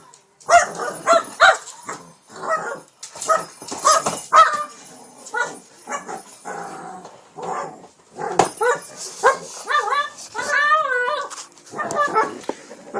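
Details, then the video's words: Shih Tzu named King Bubba, late at night in PA, fiercely attacking a cat toy: a rapid string of short rough barks and snarling growls in uneven bursts, with whiny wavering yelps near the end and brief pauses between outbursts. "King bubba the shih Tzu viscously attacks cat toy."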